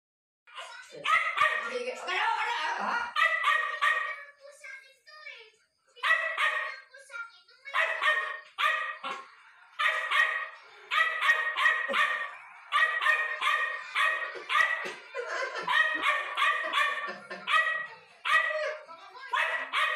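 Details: Hungry young puppy giving rapid bursts of high, harmonic yelping barks and whines, several per second in runs lasting one to two seconds, with short pauses between runs; no other sounds stand out.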